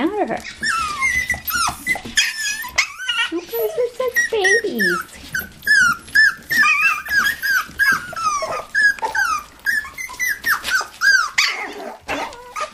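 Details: Toy poodles and Pomapoos playing in an indoor living room play area, giving rapid high whines and yelps in quick succession, with occasional growls, steady over the whole stretch.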